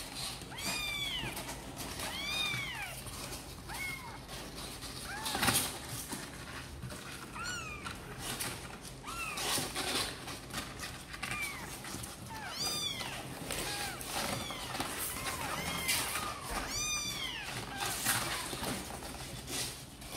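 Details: Kittens of the cats Sor and Kapov, eager to come out and play, give many high, arched meows in quick overlapping bursts throughout, several voices calling at once with short pauses between clusters.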